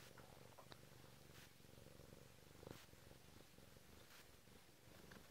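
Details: Short burst of steady, low rumbling purr from a Bengal cat waking its owner indoors, with light rustling and a soft bump midway.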